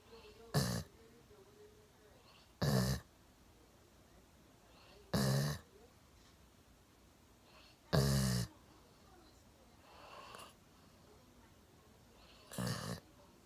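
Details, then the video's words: Milo, a one-year-old Golden Retriever, sound asleep on a sofa with his chin propped on a table. Six throaty, rattling snores arrive roughly every two to three seconds, with quiet breathing in the gaps. "ゴールデンレトリバー いびきをかいて大爆睡"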